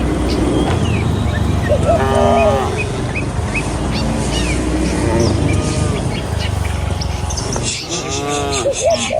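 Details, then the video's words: Tame cattle herd walking a village road to the pen in the morning; a few moos rise over a steady low rumble of hooves and ambient noise, with faint bird chirps. "Puluhan Kawanan Sapi Lembu Berlarian Menuju Kandang, Suara Moou Sepanjang Jalan Desa Indah"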